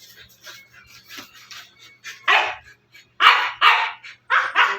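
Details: Siberian Husky in a house: soft low grumbling sounds, then a burst of five loud, rough barks in quick pairs over the final two and a half seconds.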